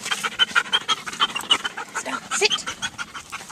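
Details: Female dog panting in quick, breathy, rhythmic bursts of about three per second. The hissing pulses are irregular and continue throughout, with a brief spoken word near the end.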